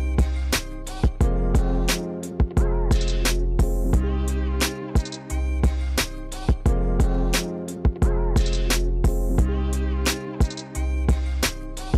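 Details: Upbeat music with plucked guitar, drums and a repeating bass figure, with no animal sounds.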